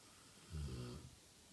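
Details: A one-year-old Rottweiler napping gives one deep, rumbling snore, a low throaty rattle lasting about half a second.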